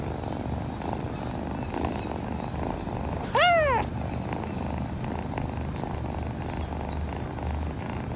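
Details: Kitten gives a single short meow midway, a bright harmonic cry rising then falling, over a steady low rumbling background.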